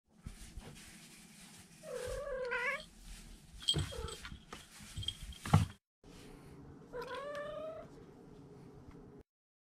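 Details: Domestic cat trilling: two rolling, rising-then-falling chirrups about five seconds apart, each under a second long, over a low steady hum with a few knocks between them.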